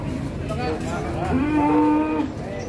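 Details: Rampaging cow, called a female, loose at Ambarawa market after knocking over a motorbike: a loud, drawn-out, level moo with a steady tonal pitch lasting about a second, over a noisy crowd of shouting voices.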